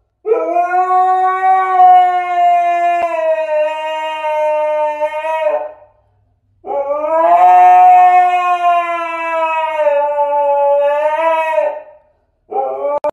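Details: Siberian Husky howling because its owner is leaving: two long, smooth, slightly wavering tonal howls of about five seconds each with a short pause between, then the start of a third.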